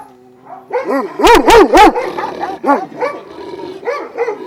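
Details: Kennel of twelve Šarplaninac dogs, Vujanski bloodline, at Jasika by Kruševac: three loud, closely spaced barks in a rush, followed by several softer answering barks from other dogs in the pack.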